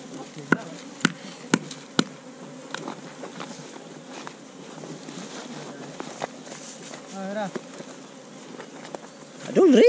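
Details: Honey bees at a hive inside a hole in a tree trunk during a honey harvest, filmed on a GoPro Hero5 Black. A steady low droning hum runs throughout, with sharp knocks in the first two seconds and brief voices near the end.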